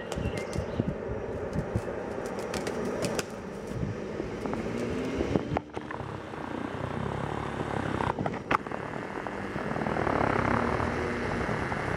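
Steady broadband rumble of an engine or aircraft with outdoor background noise; no animal voice stands out.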